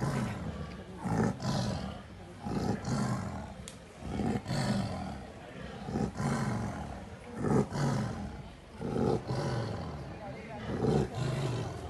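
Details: Wild Bengal tigresses, two 17-month-old sisters born in Ranthambore National Park, Rajasthan, India, battling over territory: repeated rough roaring snarls about every 1.5 seconds, some grunting between bursts.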